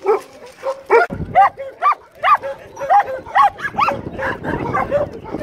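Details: During grooming of its shedding coat, an American Staffordshire Terrier utters short, bending whine-like calls, roughly two per second, each rising then dropping in pitch, with a faint low thump near the start.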